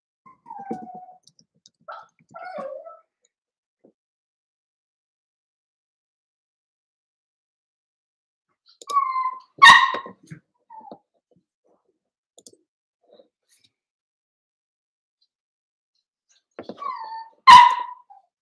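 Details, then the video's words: Cavalier King Charles Spaniel puppies at play inside a home puppy pen: scattered squeaky whimpers early on, then two bursts of high yelps separated by long quiet stretches. "Cavalier Puppies Live: Puppies Playing"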